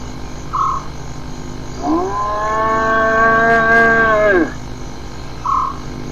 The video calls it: Hyenas some vocalizations collection 1